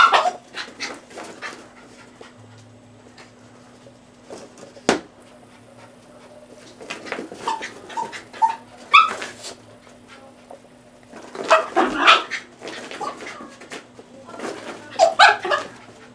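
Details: A pet dog chasing a laser pointer dot makes scattered excited whimpers and short yelps amid clattering and scrabbling movement noises, the bursts bunching into louder clusters toward the end, over a constant low hum.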